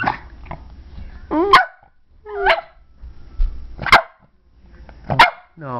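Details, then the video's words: Pet dog being taught to whine on command, trained to perform tricks: four short, loud, tonal whining yelps with bending, rising and falling pitch, spaced about a second apart, with quiet coaxing speech from the owner between them. "Teaching my dog to whine."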